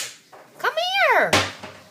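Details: Almost three-week-old Chow Chow puppies starting to walk: a single arching whimper that rises and then falls in pitch, cut off by a sharp knock, with a person coaxing quietly in a small room.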